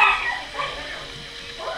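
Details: Two-week-old puppies from the litter of Delta and Zulu, recorded 30 March 2017 as their eyes open and they grow more mobile; thin, high squeaky whimpers and yips come in short bursts, with a soft human voice faintly nearby.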